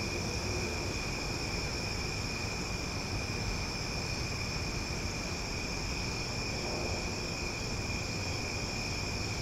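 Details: Loud cicadas chorus at night in Omaha in a steady, unbroken droning buzz with several even high tones holding throughout, over a low rumbling background.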